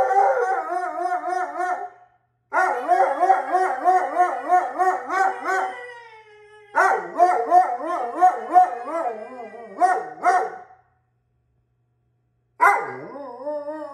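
An Alaskan Malamute 'talks' in long, wavering, warbling woo-woo sounds, broken by short pauses.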